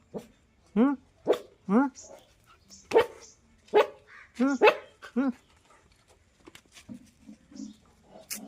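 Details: A black street puppy giving a series of short rising-falling whimpers and yelps, about eight in quick succession over five seconds, with a man's voice talking in Telugu around them.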